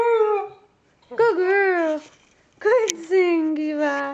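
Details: Female Siberian Husky singing with its owner: three short howled phrases separated by pauses, each starting with a quick yodel-like rise, then sliding down and holding a lower, steady tone.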